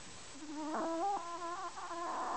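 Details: Chihuahua Kenny, snoring, produces a sustained, reedy, humming whistle with shifting pitch, continuing for about two seconds without pause.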